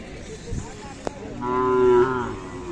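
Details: Young Khillari bull at Sangola, recorded 28 April 2024: one drawn-out, steady moo rising in the second half and holding a rich harmonic tone for under a second. A man talks nearby before and after.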